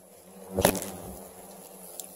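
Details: Asian giant hornets at a 13 kg nest being dug out and captured, about 2,300 hornets taken: a steady low hum under a sudden loud rustling thump, then faint buzzing continues.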